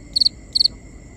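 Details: Crickets at night, binaural: two crisp chirps, each a rapid burst of three pulses, sound half a second apart against a steady high-pitched insect background.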